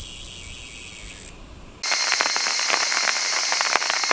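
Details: Cicada calling in Ibaraki Prefecture, Japan: after a quieter opening with thin steady tones, a loud, harsh, rapidly pulsing buzz starts suddenly and continues as a dense, high, rattling drone.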